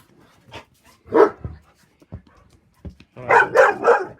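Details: Playful dog giving a 'talking' greeting that turns into puppy talk: short moaning, bark-like vocal bursts, one around the middle, then three quick rising-falling yowls near the end, with a person's voice indoors.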